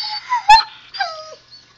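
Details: Husky puppy Zoey whines to her owner: a thin, sustained high tone, a sharp click, then a falling whimper that trails off. A soft hum runs underneath.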